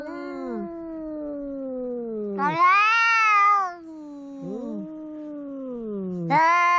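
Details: Quarrelling house cats: a low, wavering moan drifts downward for over two seconds, broken by a sudden loud, bright yowl that arches up and falls, then another low wail and a fresh sharp outburst at the end.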